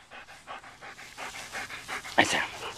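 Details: Black German Shepherd dog named Sam panting in quick rhythmic breaths, roughly three per second, during a handling session while a man calmly gives commands such as 'easy' and 'hold it'.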